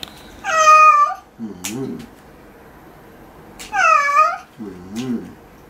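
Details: Cat complaining while its claws are being trimmed: two loud, high meows about three seconds apart, each answered by a low, soft human murmur.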